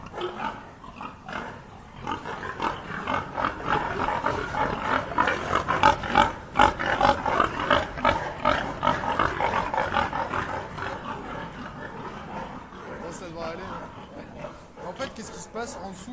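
Several pigs keep up a dense stream of short, rough grunts and snorts, several each second. The calls overlap into a busy, low chorus that swells in the middle and thins toward the end.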